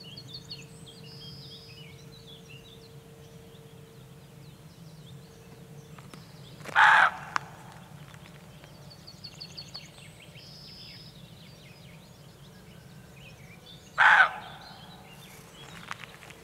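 A roe deer gives two hoarse, harsh barks about seven seconds apart over faint birdsong.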